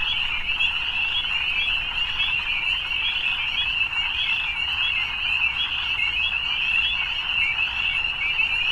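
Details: A continuous evening frog chorus, high and shimmering, with countless overlapping trills merging into one steady ringing drone that barely rises or falls. A soft low background hum runs beneath it.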